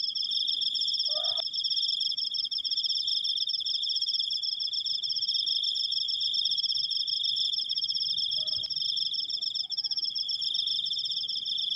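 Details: Long steady cricket chirping, a high rapid pulsed trill that never pauses, with two short faint tonal squeaks in the background near the start and end.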